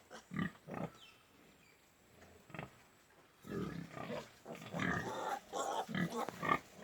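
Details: Pigs on a pig farm in Golaghat grunt in short, low bursts, with a busier chorus of grunts and squeals later on.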